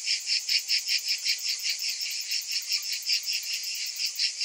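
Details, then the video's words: In summer heat, cicadas produce a piercing high buzz broken into fast rhythmic pulses, about three per second, swelling and fading slightly. "Cicadas in Summer"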